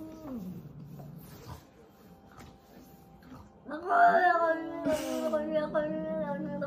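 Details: Cat during a fight: low drawn-out growling yowls, then a louder rising and wavering caterwaul held for several seconds, with a person speaking Chinese nearby.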